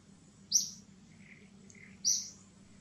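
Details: Baby monkey Gigi crying during seizures to call her mother Gladdis: two sharp, high, squealing cries about a second and a half apart over a low steady background hum.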